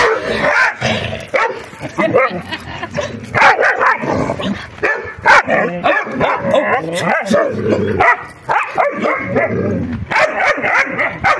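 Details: Puppies in a rough play fight produce a long stream of yaps, squeals and snarling growls, rising and falling in irregular bursts with many overlapping voices.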